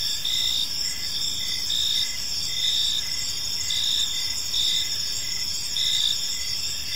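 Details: Crickets chirping on an evening in a peaceful park, a steady high trilling chorus with pulses repeating roughly every second over a continuous insect hum, no other clear sounds.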